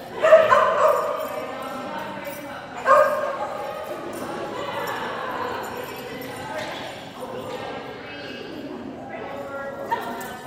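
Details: Phenix, a Kerry Blue Terrier, at an agility class on June 4 2019 indoors in a large hall; two loud barks early, then people talking and echoing room noise.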